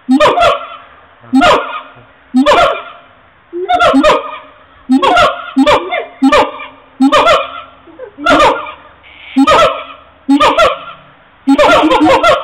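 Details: Siamangs (Symphalangus syndactylus) give loud calls: honking barks repeated about once a second, each with a sharp ringing onset.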